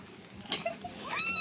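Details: Cat at play during feeding time gives a bright rising meow near the end, preceded by a few soft clicks and taps in a quiet room.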